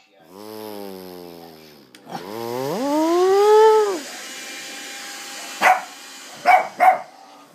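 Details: Lhasa Apso dog scared of the hoover, giving a long whining, wavering cry that rises then falls, followed by three short sharp barks near the end over a steady background hum.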